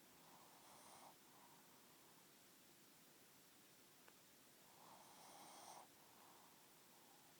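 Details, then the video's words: Pug snoring in two slow, rasping bouts, each a pair of breathy rumbling pulses, separated by a long quiet pause and a soft click. "Pug snoring"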